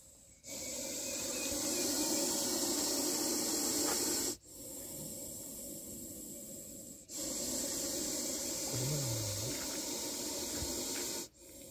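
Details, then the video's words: Snake making a sound likened to a pressure cooker: three long, loud, breathy hisses, each lasting about three to four seconds, separated by short silent gaps, broad and airy across the range. "ప్రెజర్ కుక్కర్ సౌండు చేసేపాములు ఉన్నాయి చూడండిSnakes that soundslike pressure cooker"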